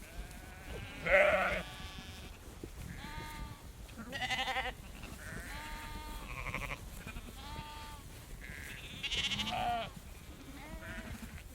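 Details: A herd of sheep walking around close by bleats, wavering harmonic baas overlapping every second or two, as a female farmer shakes food.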